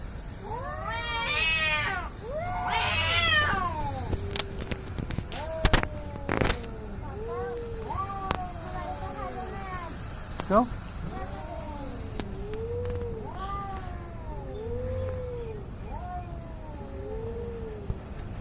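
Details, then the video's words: Two angry fighting cats trading loud, harmonic-rich yowls, an intense rising burst early on, then repeated arched moaning wails, with a few sharp knocks and clicks in the background. "CAT FIGHT ANGRY CATS - Making weird noise"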